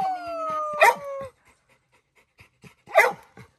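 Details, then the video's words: Labrador Retriever Little John begging his grandma to let him swim in the pool: a long, high, slightly falling whine, then an abrupt bark, a pause with faint soft sounds, and a second strong bark. "Labrador dog asking permission to his Grandma like a kid to swim in the pool"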